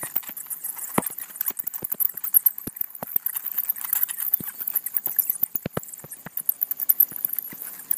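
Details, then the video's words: Bats crowded in an Atlanta house's gable vent while a person looks in: rapid irregular clicking and tapping, high thin squeaks running continuously overhead, occasional louder sharp ticks. "Bats in a Gable Vent in Atlanta"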